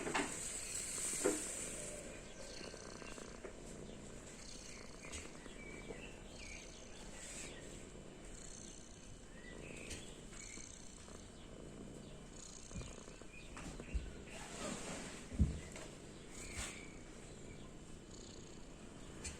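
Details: Lucy, a domestic cat, purring while asleep as a sign of happiness; a low, steady rumble runs under scattered bird chirps, with a few clicks and soft knocks.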